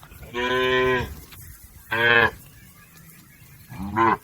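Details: Cattle, a tame herd of village cows grazing in a green field, lowing in three clear harmonic moos, two longer calls and a shorter final one, with faint background hiss.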